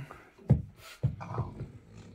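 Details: Blue two-year-old French Bulldog named Bob, still angry after chasing a trespassing cat from the garden, gives two low, snorting, gruff bark-like bursts about half a second apart, then quieter grumbling huffs.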